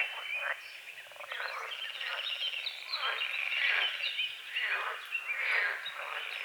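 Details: Croaking frogs over a small lake at the forest edge at dawn, rattling calls mixed with birdsong, the chorus swelling and fading in a busy natural soundscape.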